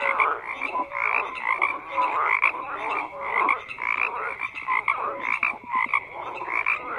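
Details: A thick chorus of frogs, croaks overlapping continuously in a steady rattling wall of sound with brief lower honking notes mixed in.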